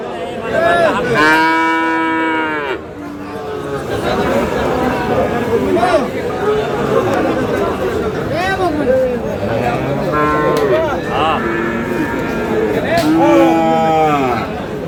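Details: At Aftabganj livestock market in Dinajpur, Friesian and crossbred bull calves low in three separate drawn-out, wavering moos spread across the recording, with people bargaining and market chatter throughout.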